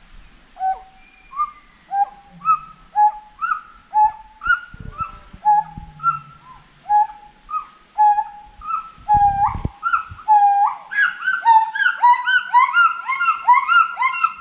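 A monkey gives clear, hooting calls that repeat steadily, then speed up and climb in pitch.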